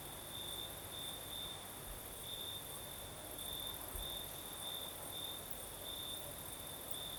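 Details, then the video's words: Crickets sing through a southern Crimean night: bright, high, pulsed chirping in uneven bursts, with a low hiss of breeze underneath. "Звук ночи. Юг. Крым. Сверчки поют."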